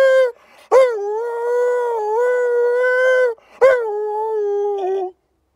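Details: Sanctuary wolf in Spain howling as if conversing with people: two long, smooth howls, each beginning with a short upward slide then holding steady, the second one dropping slightly and fading at the end.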